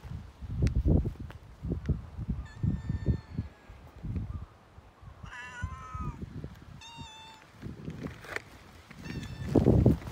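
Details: Petted cat giving a long, wavering meow in the middle and a shorter level mew shortly after, surrounded by rhythmic rubbing and patting noises from the stroking.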